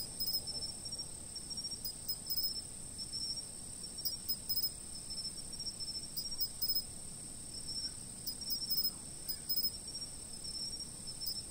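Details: Steady high insect trilling from a fixed camera, with scattered quick chirp bursts coming in irregular groups and a faint low background hum.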